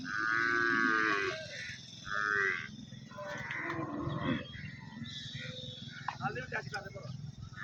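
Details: Nili-Ravi buffalo offered for sale at Arifwala, recorded 16 November 2023; a loud, drawn-out low moo with strong harmonics, then a second shorter bellow, over steady engine-like rumble and distant voices.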